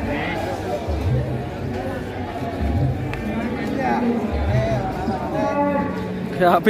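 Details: A rampaging calf, uneasy with the rope on it, gives low, drawn-out harmonic moos over background music and people talking nearby.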